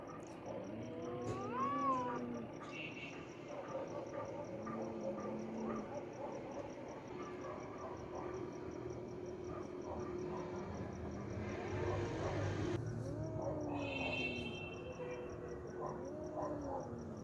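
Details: Angry domestic cats fighting, voiced in drawn-out wavering yowls and growls that rise and fall in long arcs, with harsher noisy bursts near the middle and a steady high electronic whine throughout.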